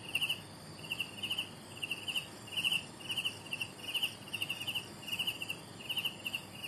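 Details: Chirps of young crickets, paired pulsed bursts repeating roughly every half second in an even rhythm, high and shrill, with a thin background of higher insect hum.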